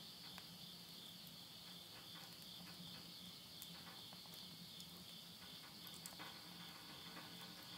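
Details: Insects singing at midnight at summer's end in Yurihama, Tottori, Japan, September 2020: an unbroken shrill, buzzing high tone dominates, with scattered soft crackles of wood burning in a stove and a low background hum.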